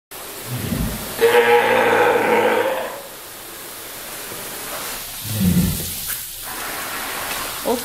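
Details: Juni, a Steller sea lion at Ise Sea Paradise aquarium in Japan, calls noisily from its pool toward staff. A harsh, harmonic bellow lasts about two seconds, framed by short low grunts before and after, with a person's voice at the end.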